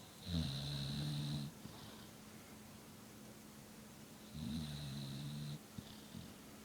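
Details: Layla, a sleeping American Bulldog, snores indoors: two long, low, rattling snores about four seconds apart, each over a second long with a hissing edge, then softer breaths between them in a quiet room.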